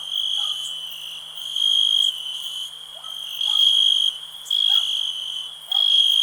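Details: Cricket giving a high, steady ringing trill broken by louder chirping bursts at uneven intervals, with faint lower-pitched calls scattered in the background.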